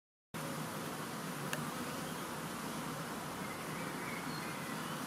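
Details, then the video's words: Huge swarm of honeybees, part of a swarm collected on World Bee Day 2019: a dense, steady buzzing hum fills the whole stretch after a short silent start, with one faint click partway through. "Huge swarm of honeybees"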